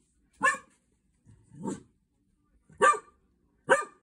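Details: Four barks come in quick, uneven succession from Gigi, a Cocker Spaniel meeting guinea pigs for the first time on 25 July 2023. The second bark is lower and more muffled than the others.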